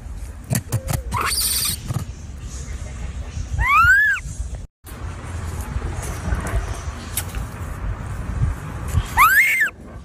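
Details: Baby monkey giving two brief, high arched squeals that rise sharply and then fall, about five seconds apart, over steady background rumble with scattered clicks and knocks and a short break of silence between them.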